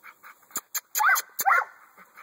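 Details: An American Staffordshire Bully dog gives two short, harsh barks about half a second apart. A man calls to it just before, and sharp clicks come between the barks.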